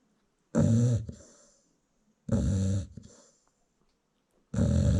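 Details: Nursing American Bully mother dozing with newborn puppies at a South African kennel; three heavy grating snores, each about half a second, spaced roughly two seconds apart in a quiet room.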